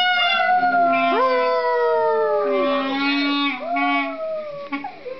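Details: Fifteen-week-old Boxer puppy howling along while its owner plays the clarinet: sustained clarinet tones mixed with a wavering, sliding high howl that rises and falls over several seconds.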